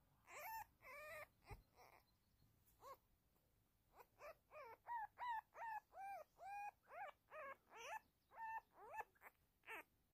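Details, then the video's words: A baby female gray fox kit, playing with a Siamese cat, gives a rapid series of high, arched squeaking whines, about two or three per second. "Petunia our new gray fox kit"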